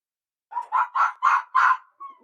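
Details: Red fox giving a run of five harsh, hoarse barks in quick succession, each a little louder than the last, ending with a softer, thin trailing note after a short pause.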